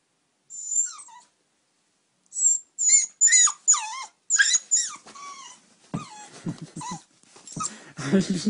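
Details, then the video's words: Eight-week-old puppy begging to sleep in the bed: high squeaky whines and yelps, each dropping in pitch, coming in a rapid series, then rougher lower whimpers and a person speaking softly at the end. "Sleep in bed! plz ?!"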